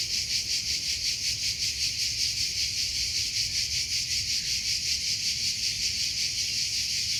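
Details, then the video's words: High, insistent cricket chirping outdoors, quick evenly spaced pulses of a shrill buzzing tone, roughly two to three per second, sustained without pause. "Sound of Cricket"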